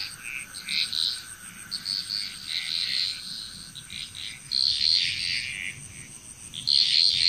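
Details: Frog chorus in Bali, Indonesia: overlapping bursts of high croaking and trilling notes from many frogs, irregular clusters roughly every two seconds, over a steady high insect-like whine and a faint constant tone.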